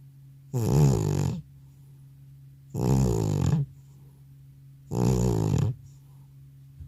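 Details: Elderly male house cat in a multi-cat home, sound asleep after a vet visit, recorded without a separate microphone: loud, deep, rasping snores of about a second each, three of them roughly every two seconds, with quiet breathing pauses between.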